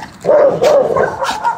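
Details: Dogo facing off against a Rottweiler; two short, tonal, whining cries, followed by rougher harmonic vocalizing.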